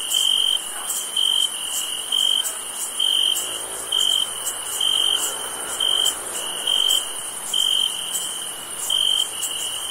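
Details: Crickets chirping on a summer night: a steady high trill broken into pulses about every 0.7 seconds, with a fainter higher trill above.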